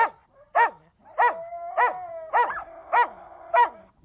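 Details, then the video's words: Siberian Husky barking in a steady rhythm, about one sharp bark every 0.6 seconds, seven in all, over a faint sustained howl in the background. "The sounds of Siberian Huskies"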